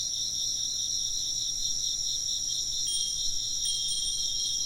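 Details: Chirping insects keep up a shimmering, evenly pulsed high chorus while a wind chime rings out in a few bright, clear notes partway through.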